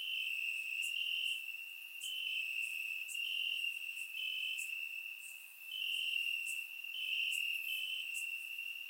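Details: On a warm summer night in Bulgaria, crickets fill the grass with a constant thin high trill, several singers overlapping in stepped bursts while quick bright chirps repeat around four times a second.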